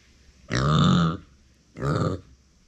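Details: A female micro pig named Uni, kept as a family pet, calls out when left alone. Two loud, grunting cries sound less than a second apart, the first longer and the second shorter and slightly falling.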